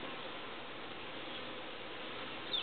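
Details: Honeybees settling into a hive after being moved from their transport package, checked four hours later; a steady, dense buzzing hum holds evenly throughout, with a brief faint tick near the end.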